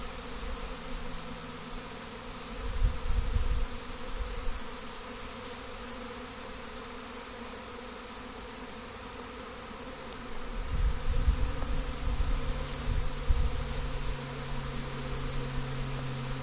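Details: Large honey bee swarm being caught and collected at a house in Destin: a continuous low droning buzz with stacked tonal bands, broken by bursts of wind rumble around three and eleven seconds.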